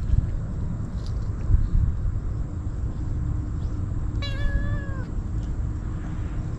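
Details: Hungry stray kitten eating treats at a furious pace gives a single short meow that dips at the end, heard late over steady low rumbling outdoor noise.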